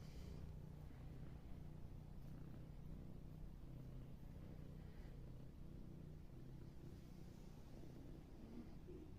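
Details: Cat purring, heard as a continuous low, rumbling hum held steady throughout without breaks, quiet and close.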